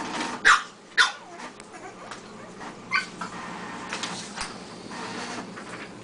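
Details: Pug puppy indoors, frightened by a printer: two short, sharp yelps close together near the start, then softer scattered yips and brief whimpers over steady room noise.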